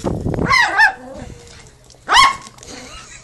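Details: Chihuahua barking while playing football: two short, sharp, rising-and-falling barks about one and a half seconds apart, with a low hum and some handling noise in the background.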